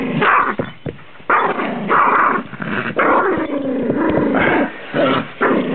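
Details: Rhodesian Ridgeback rescue dog named Arby growling while playing with his favourite toy, a long continuous rumbling growl broken by short gaps, rising into throaty bursts; a person speaks briefly nearby.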